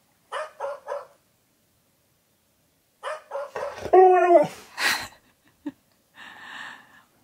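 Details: Siberian Husky, a pet indoors, reacting to a dog translator app: three short yipping barks, a pause, more quick barks, then a loud wavering howl-like 'talking' whine that bends down and up, with a short final yelp.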